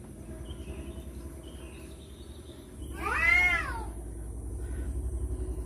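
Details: A single rising-then-falling screech from cats fighting over a female stands out around the third second, harsh and harmonic, against a pulsing low background hum.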